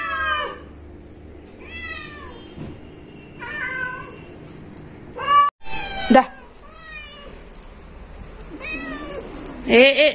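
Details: Pet cat meowing indoors: a series of short, wavering mewing calls spaced a second or two apart, several strained and rising, with a loud sharp knock near the middle and a quiet room hum beneath.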